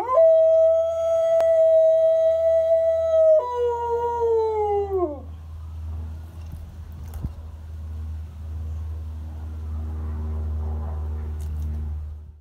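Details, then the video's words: Pet dog howling, or singing along, with a passing siren. A long, steady, clear tone holds and then slides downward and fades near five seconds. Afterward a low, steady hum remains with faint wavering sounds. "My dog singing (aka howling) with siren"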